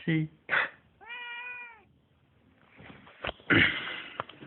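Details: House cat reacting to a person's deep breath or sneeze; after two short vocal bursts, one steady, harmonic meow lasting nearly a second, followed by breathy human sounds and a sneeze.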